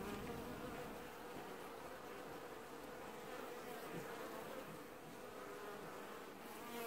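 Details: Washboarding honey bees at an apiary hive, early July 2019: a constant, rich buzzing hum with a steady mid-pitched drone that rises slightly in loudness at the very start and end.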